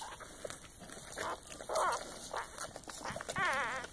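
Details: Newborn Soft Coated Wheaten Terrier × Shiba Inu puppy just after birth, indoors; a few short squeaky cries, the last a wavering high whine, amid wet rustling and handling noises.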